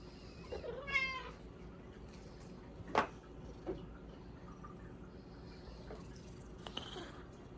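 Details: Hua the Bengal cat begs indoors for a supper of Japanese cod sticks: a short clear meow, a sharp click, then a softer second meow near the end, with faint rustling between.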